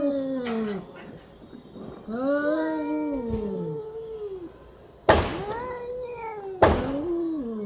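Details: Orange and white cat making funny vocal sounds: long wavering meows with bending, falling pitch, a drawn-out rising then falling call, and two sharp loud onsets near the end with short meows.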